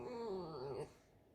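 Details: Alisa, a pet fox kept at home, gives a single drawn-out whining squeak lasting under a second in a small indoor room. The tone is steady and slightly wavering, then dips and lifts at the end before quiet returns.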